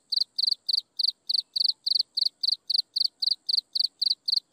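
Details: High-pitched insect chirping heard at sunset, rapid pulsed bursts repeated evenly around four times each second, a soft continuous high tone in the background and otherwise quiet.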